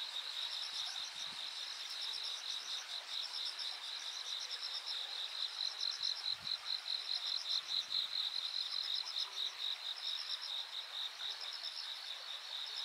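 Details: Insects singing on the bank of Yanagawa on 13 August 2023: a dense chorus of high, pulsed trills, rapid chirps repeating about twice a second over a steady shimmering hiss, with faint low thumps at times.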